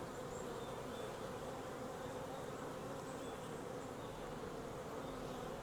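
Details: Steady hum of a wild honey bee swarm as beekeepers collect it from a tree branch into a 5-frame nuc box; loud, unbroken buzzing drone with a clear low tone.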